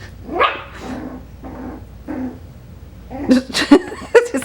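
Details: Five-week-old Coton de Tulear puppies yip indoors, a high rising yelp early on followed by a cluster of short, sharp barks near the end, with a woman talking in the background.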